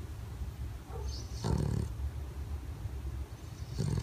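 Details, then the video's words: Bulldog snoring while sleeping with eyes open; steady deep, gravelly low rumble with louder snorting surges around mid-clip and near the end. "Bulldog Túrin roncando acordado"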